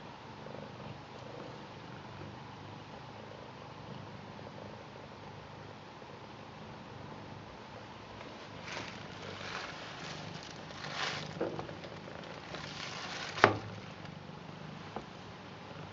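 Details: A blue British Shorthair cat purrs steadily in a low, soft rumble while welcoming and showing love to the family's grandad.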